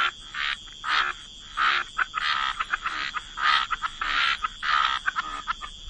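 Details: Frogs by the waterside in a wetland: separate buzzy croaks with short clicking notes between them, each croak under half a second, spaced irregularly.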